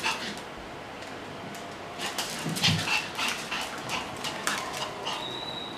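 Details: Young male Pomeranian on a trial day at a dog daycare, indoors: a run of short, sharp whimpering yelps and barks in quick irregular bursts over steady room hiss, with a thin high tone near the end.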